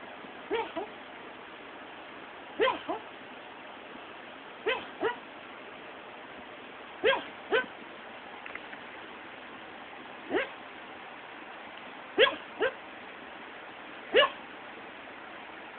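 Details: Pet dog named Sonic talking in his sleep during an afternoon nap, giving short muffled yips and whimpers in pairs, roughly every two seconds, over quiet room hiss.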